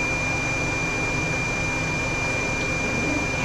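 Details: A loud steady blower or vacuum-like roar with a constant high whine fills the room, and no animal voice comes through.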